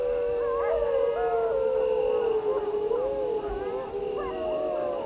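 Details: Grey wolves howling together, several long wavering tones overlapping in a chorus, some sliding up and down, others held steady, continuous for the whole stretch with no other sounds.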